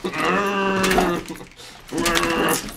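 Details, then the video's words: Pet dog Teddy, protesting against the household vacuum cleaner, gives two sustained, bleat-like howls separated by a short pause, the first longer and steadier than the second. "Teddy versus the Vacuum Cleaner!"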